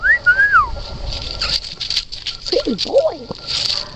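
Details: Red Standard Poodle puppies giving thin, high whines: a rising then falling whimper at the start, and after a pause a run of wavering, squeaky yelps that swoop up and down. A steady faint hum runs underneath.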